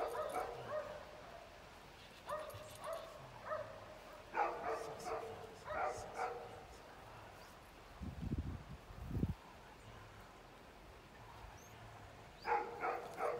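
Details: Eight-week-old female Belgian Malinois puppy Pétra, trained in bitework, lets out spaced bursts of high yips and barks, a few each second, separated by quiet gaps, with low thumping sounds near the middle.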